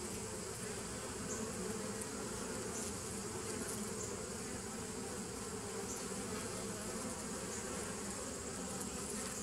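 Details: Continuous droning hum from bees in a 2017 nuc, 27 September 2018, thick and even throughout, with low layered tones and no breaks, only faint hiss higher up.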